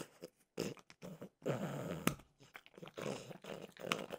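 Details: Snacking French bulldog Mimosa with peanut butter flavored dog treats: dense crunching mixed with snuffly grunting breaths, and sharp bite clicks in between.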